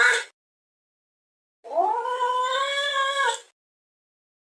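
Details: Domestic cat giving a weird drawn-out yowl: one steady, slightly rising harmonic wail lasting nearly two seconds, flanked by clipped fragments of other calls at the start and end, in an otherwise silent room.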